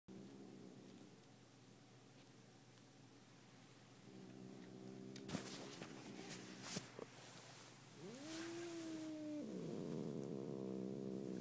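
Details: Domestic cat purring with low steady pulsing throughout, broken midway by sharp clicks and handling noise, then a drawn-out rising meow-like tone before the purr resumes louder.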